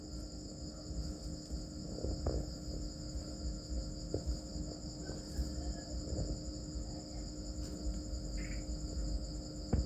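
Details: Farmed crickets raised as a new livelihood, giving a steady, unbroken high-pitched trill in two bands, with low background rumble and occasional soft knocks and taps.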